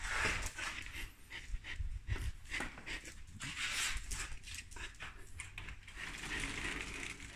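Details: Hungry Samoyed eating lamb, its breathy panting heard as rough, broadband puffs coming in quick uneven bursts, mixed with wet chewing noises close to the microphone.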